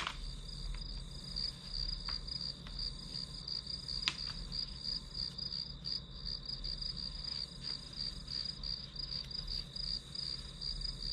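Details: Grass insects heard during a one-hour study session: a steady stream of high, rapid chirps, about three each second, forming a continuous shimmering pulse, with occasional sharp clicks from the room.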